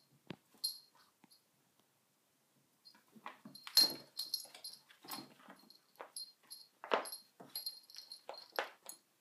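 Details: Sona, a dog, with a cushion: after nearly three quiet seconds come irregular breathy, snuffling bursts mixed with thin, high squeaky whine tones, growing busier toward the end.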